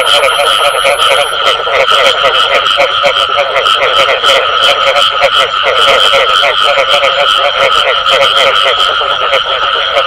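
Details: Many frogs croak together in the bù tọt style, a steady wall of fast, throaty pulsing notes with no breaks; a high thin tone sounds only in the opening second.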